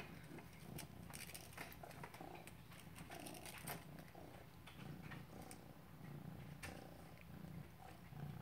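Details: Maine Coon named Lilly purring as she chases "prey": a deep, continuous vibrating drone under frequent soft scuffs and knocks from her play.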